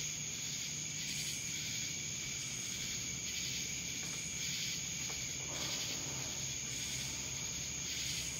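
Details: Cicadas sing in Dallas, Georgia, a constant thin shrill tone layered with pulsating bursts of dry buzzing, plus a faint low hum underneath.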